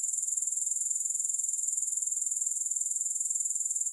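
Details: Unbroken high-pitched grasshopper chirping, no music, a dense run of quick regular pulses at constant loudness that fades out only at the very end.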